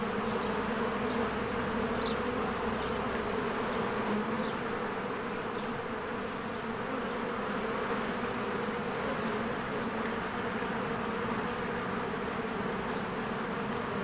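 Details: Spring hive of honeybees flying in and out, many bees at once; continuous low droning buzz with stacked humming tones that never pause, plus a few faint, short bird chirps in the background.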